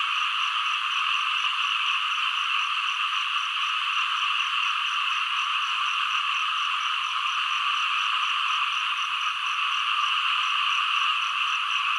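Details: Chorus of frogs and green frogs, a continuous high-pitched buzzing trill from many callers, steady and unvarying in level from start to finish.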